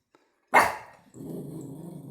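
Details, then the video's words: Male Shiba Inu dog barking at 6 a.m. in the morning: one sharp, loud bark, then a low, rough rumbling sound that continues to the end. "Shiba Inu Dog Barking Sound"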